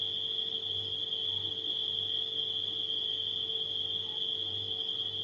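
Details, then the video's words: Nighttime crickets blended with a refrigerator's hum: a steady, high, unbroken trill of chirping runs throughout, over a low electrical drone that swells and fades. "Crickets & Refrigerator Humming Sound"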